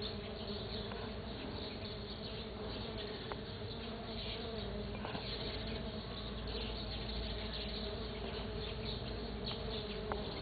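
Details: Stingless bees foraging on a sunflower, dated 09 12 2013; a dense, steady low hum with layered buzzing tones that holds unbroken throughout, with occasional faint clicks.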